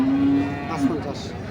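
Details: Cattle at the Nandail Chourasta cattle market on 10/04/2025, where heifers and bull calves are on sale: a short, low, steady moo lasting under a second, over market chatter and background music.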